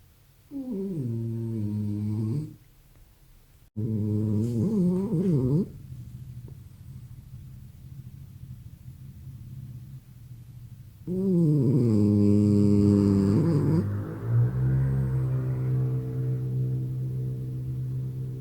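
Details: Sleeping French Bulldog making low harmonic snoring sounds with wavering, swooping pitch in two bursts, then a longer rumbling stretch near the end; a person murmurs softly nearby.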